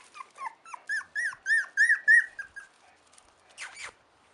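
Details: A run of high, thin whines from four-week-old Chow Chow puppies, about four per second, each note rising then dropping, followed by a brief pause and one harsher, breathy squeal.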